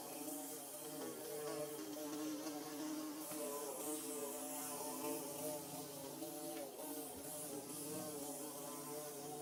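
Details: A dense swarm-like drone from bees building their nest: unbroken, rich buzzing with strong overtones, steady in loudness, and a soft hiss behind.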